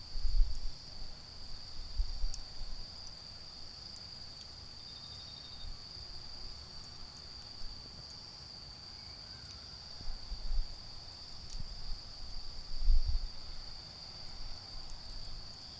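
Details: Autumn insects calling on an autumn night in a garden beside a bonfire: a steady, high, unbroken trilling tone runs throughout, over low rumbling bursts and sharp crackles and pops from the fire.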